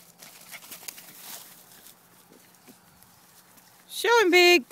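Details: Two dogs playing while a man quietly urges one on; after soft talking and background rustle, a loud, brief harmonic whine-yelp bursts out, rising and falling twice near the end.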